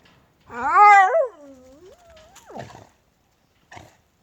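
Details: Korean Jindo dog, native type: one drawn-out tonal whine, rising then falling and wavering, trailing into a thin thread of sound. A short rustle and a faint click follow in a quiet setting.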